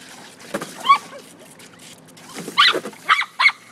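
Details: Maggie, a Toy Fox Terrier, playing with a garden hose in a swimming pool: short high-pitched whining yips with a rising, wavering pitch, one early then a quick burst of three near the end, over a steady hiss of spraying water.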